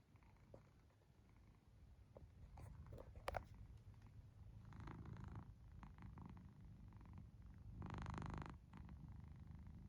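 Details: Sleeping cat snoring indoors, a steady low rumbling purr-like drone that continues throughout, with scattered faint clicks near the start and a louder breathy rasping burst about eight seconds in.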